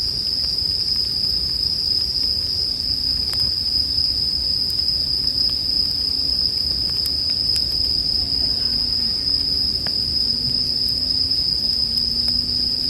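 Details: Bell crickets ring in one constant high, even tone beside a campfire meant for sleep, while crisp fire pops break through now and then and a faint low drone wavers underneath.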